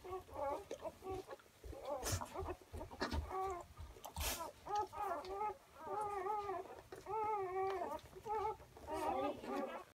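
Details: Newborn German Shorthaired Pointer puppies, six hours old, making repeated short wavering squeaks and mewling cries that overlap, with a few sharp clicks and knocks in between.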